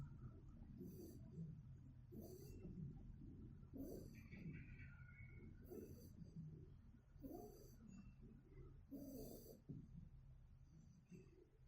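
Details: A two-month-old Shiba Inu puppy snores softly while sleeping, each breath a low rasp with a faint airy hiss, roughly every second and a half.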